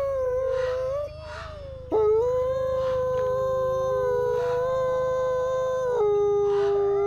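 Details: Captive-born sibling gray wolves Alawa and Nikai duet at the Wolf Conservation Center in South Salem, NY; a long, level, pure howl held for several seconds, briefly breaking and restarting, with a second voice joining at a different pitch.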